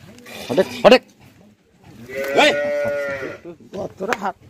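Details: Holstein Friesian cattle kept for sale on a farm in Bangladesh, lowing in a long, loud, harmonic moo of about a second and a half, with short bursts of a man's voice before and after.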